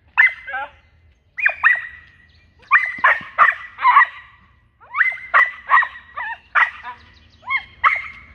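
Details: A young Australian Cattle Dog puppy in protection training barks in high, sharp bursts, often doubled or tripled, with brief pauses between.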